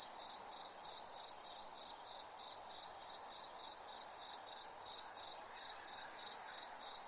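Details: A night-calling cricket repeating piercing, pulsed chirps about three times a second, steady and unbroken, over a low hiss.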